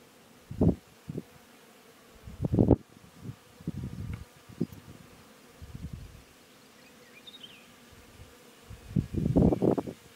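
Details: Wild honey bees buzzing in the mountains of rural Iran while their hive is cut from a bush and bagged, some attacking; loud low buzzing bursts flare every second or two, with rustling handling noise between them.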